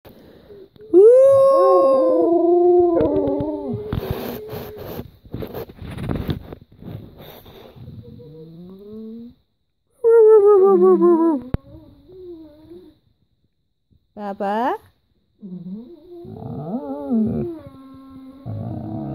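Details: Alaskan Malamute and Husky, two pet dogs named Guinness and Carling, indoors demanding their breakfast: loud wavering howl-whines with rich harmonics, a burst of rough noisy sounds mid-way, then further rising, yodelling moans separated by short pauses.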